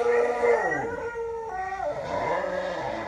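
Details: Cody, a pet dog, howling at a replayed recording of himself howling, a sustained high howl that slides down in pitch, followed by a second descending wail overlapping it.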